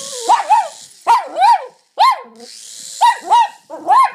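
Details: Jack Russell Terrier going a bit mental at a toy helicopter, giving high yappy barks in doubled bursts about every second, over a steady whirring hiss from the toy.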